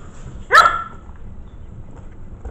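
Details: One of five Maltese mix puppies, five weeks old, in their corral and curious about a newly placed camera, lets out a single sharp, high yip-like bark, followed by quiet low background rumble.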